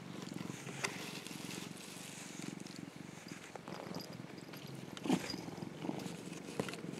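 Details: Affectionate orange tabby Mac purrs contentedly while sunbathing, a rhythmic low rumble in regular pulses, with some rustling and faint background noise and a short scratchy sound near the end.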